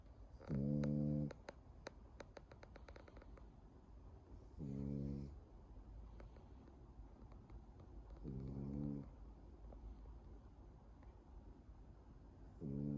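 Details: Snoring French bulldog producing four throaty, buzzing snores roughly every four seconds, each lasting under a second, with soft clicks and quiet breathing in between.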